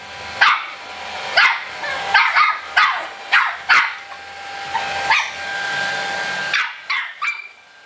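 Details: Shih Tzu puppy Mu-Shu, three months old, barks back at a hair dryer with bright, clipped yaps about once a second, some doubled, pausing as the steady blowing hum continues, then a final pair of yips.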